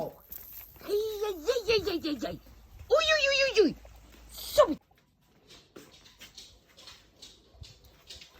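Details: A dog named Eros gives three sustained, bending whines in a row, each rising and falling like a grumbling 'talk', followed by soft clicking and rustling in a small room.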